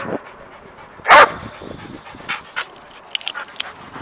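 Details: Sadie the dog, worked up and jumping about because of a squirrel she cannot see, gives one loud sharp bark, then faint whines, clicks and light rustling follow.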